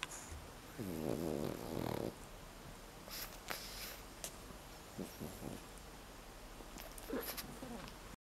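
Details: A 9-month-old male Pekingese, awake and content while being held, makes a rough, rattling snore-like snort through his nose, followed by soft sniffs and clicks.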